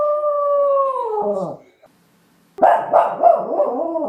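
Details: A West Highland White Terrier holds a smooth howl that droops in pitch and fades, then after a short silence breaks into a run of choppy, yelping barks.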